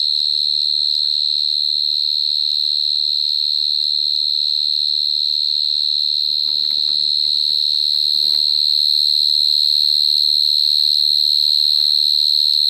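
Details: A cricket chirping at close range, recorded in 2022, its shrill unbroken trill steady in pitch and pulsing rhythmically, while faint rustling or clicking noises pass beneath around the middle.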